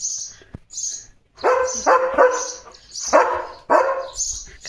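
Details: Leo, a pet German Shepherd, barks in short harsh bursts while 'talking' with a sparrow, whose high thin chirps keep sounding between the barks; a person speaks briefly.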